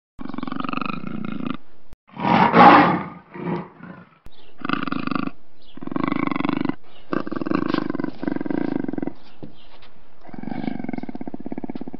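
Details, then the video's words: Black panther alternating long, evenly pulsed growls with one loud, raspy roar near the start that breaks into shorter grunts; gaps of silence separate the bursts, and no other sounds intrude. "Tunog ng ITIM NA PANTHER | Sound of BLACK PANTHER"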